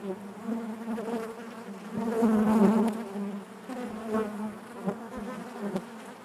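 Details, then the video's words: Hive of honey bees humming together, a thick low buzz that grows louder for about a second midway before settling back to a steady drone. "bees therapy hive natural buzzing sound"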